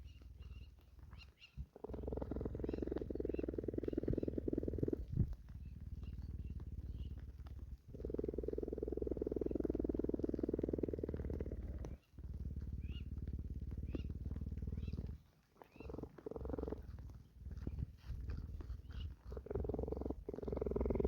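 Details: Cheetah at a sanctuary purring while grooming with rasping licks in the rain; a low, rumbling, fluttering purr comes in long bursts of several seconds, separated by brief breaks and soft rustling.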